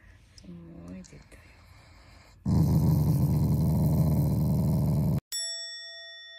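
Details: Shiba Inu, a family pet, growling at its owners as affection rather than anger: a loud, low, rasping growl of almost three seconds, cut off by a bright ringing chime, after a soft human voice.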